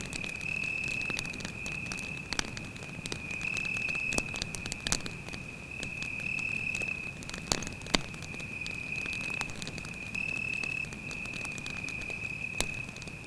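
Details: Cricket at night beside a campfire in a mysterious forest, giving steady high-pitched trills in bursts of about a second with short gaps, almost continuous, while the fire crackles and pops sharply throughout.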